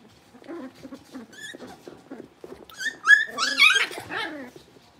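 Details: Blenheim Cavalier King Charles Spaniel puppies from a litter of five born on New Year's, moved to a big pen; soft low grunts, then a burst of high rising and falling squeals and yelps.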